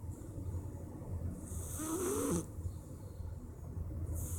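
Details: A sleeping Persian cat snores on a Wednesday afternoon, one soft breathy snore with a faint rising whine in the middle, over a steady low background rumble.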